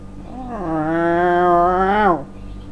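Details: Staffordshire Bull Terrier, a male worked up by his owner's return from work and an expected evening walk, holds one long, steady, slightly quavering whining howl lasting about two seconds before it cuts off.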